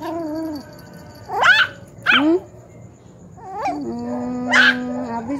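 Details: Poodle being talked to by a grandmother, giving three short, sharp whining cries that sweep up and down, spaced about a second or more apart, over steady background music.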